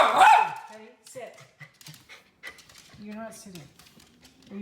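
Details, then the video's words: Wanting his treat, Teddy Bungoo the miniature red poodle gives one loud, ringing bark, followed by a person's steady voice telling him to hang on and sit. "Poodle BARKING"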